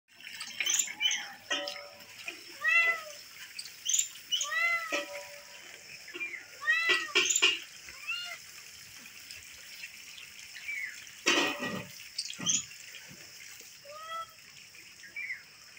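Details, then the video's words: Domestic cat meowing in stock footage, a series of short arched mews repeated every second or so, some doubled, with a running water tap and splashing heard in the background. "Cat Meowing | Billi Meow"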